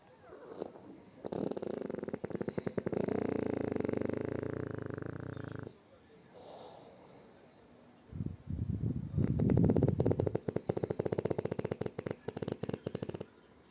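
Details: French Bulldog named Shturm sleeping tucked under its owner's arm, snoring: a rattling, buzzy drone with a steady low tone that stops briefly midway, then resumes as a rougher, rapidly pulsing snore.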